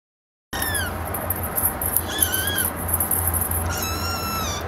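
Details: Kitten mewing thinly amid heavy hiss and a low rumbling background: a few faint, high, drawn-out cries, one falling, one wavering, one long and sliding downward.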